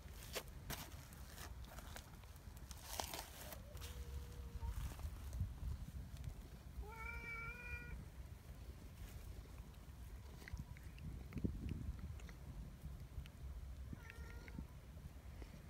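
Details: Large black community cat, affectionate and friendly, outdoors, pulling a person's hand toward it and nibbling; a few short harmonic meows, one near the middle and one near the end, over steady low rumbling background noise and scattered clicks.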